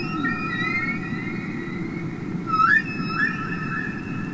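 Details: Humpback whale song from the Capitol Records album ST-620 of real whales singing underwater: a sustained high whistled tone with upward-swooping squeal near the middle over a steady low rumbling hiss.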